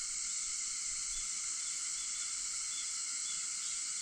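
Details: A steady wall of cicada song at 4:50 in the morning, 4 August: high, dense and hissing, with faint even tones running through it, no pauses.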